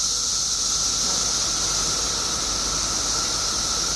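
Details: Steady roaring drone from billions of periodical cicadas that emerged in Illinois after 17 years underground, a high shimmering hiss layered over a constant lower whine.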